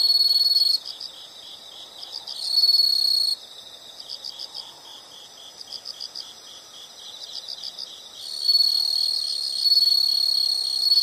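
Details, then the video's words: Calming insect sounds: short bursts of very high continuous trilling interleaved with a lower, quieter chirping pulse repeated roughly four times a second, ending on longer loud trills. "the sound of insects"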